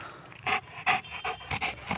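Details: Saint Bernard dog playing with a ball, panting hard: loud, breathy, evenly spaced puffs roughly every third of a second.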